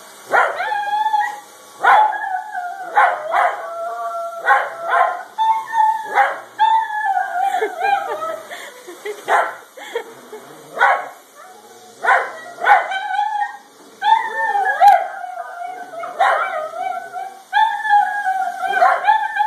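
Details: Italian Greyhounds reacting to a vacuum cleaner: one sings, howling and yipping in wavering, high-pitched tones, while another is ready to attack, with sharp clicks and knocks between.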